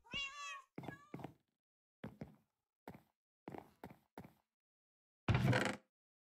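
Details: Persian cat that has traveled for hours to reach Hanoi, Vietnam: a strong wavering meow opens, with a brief second cry. A series of knocks and a loud thud follow.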